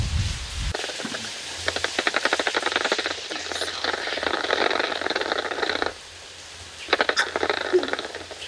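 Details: Bats emerging at night from Mammoth Cave, their navigation ultrasound made audible through a simple two-microphone bat detector: rapid trains of dry clicks, speeding up in bursts, broken by a short lull, then a fresh burst.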